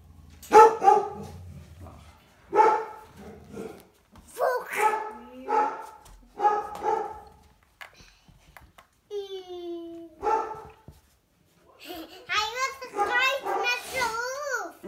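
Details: Groenendael puppies, four weeks old, give a run of short, tonal, yelping barks spaced a second or two apart, then a long whining whimper and a rapid cluster of high yips, with a few spoken words between.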